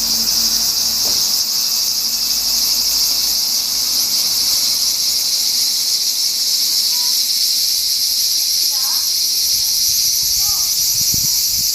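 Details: Summer cicada chorus recorded 4 August 2017, the insects unseen: a steady, piercing high buzz that never pauses, with a few faint chirps and light knocks underneath.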